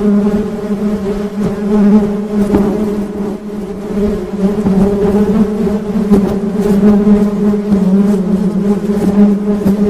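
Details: Honey bees buzzing in a steady, droning low hum with stacked overtones that waver slightly in loudness, broken by scattered faint clicks and taps throughout.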